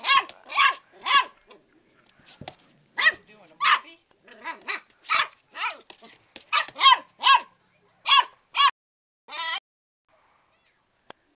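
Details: A new puppy, fighting with a cat that fights back, yaps in a steady string of high, sharp barks about two per second, ending with a drawn-out yelp.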